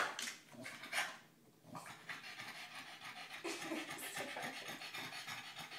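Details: Rufus, a dog, tries desperately to puncture a giant tennis ball but cannot get his teeth into it. Quick, breathy huffs and pants come in noisy bursts, mixed with scuffling and rustling as he attacks the ball.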